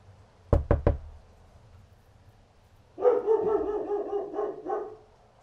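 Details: Dog outside barking in a quick series of several barks, preceded by three sharp knocks and a low background hum.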